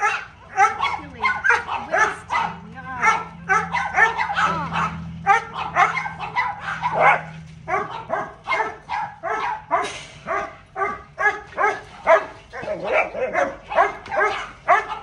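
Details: During playtime a small dog keeps up a long, excited string of high, tonal yaps, fast and uneven, now and then bunching into rapid doublets, with a faint low hum underneath.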